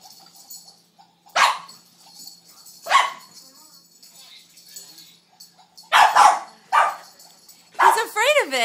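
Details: Snowball, a neighbour's puppy, barks at a stuffed gefilte fish toy he alternately fears and is mad at. Four sharp, loud barks are spaced one to three seconds apart, with a person talking softly between them and speaking at the end.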